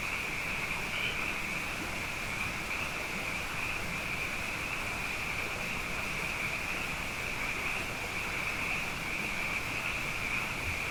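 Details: Many frogs singing night after night after two wet years in a row; steady, dense high trilling chorus running unbroken, with a soft low background hum.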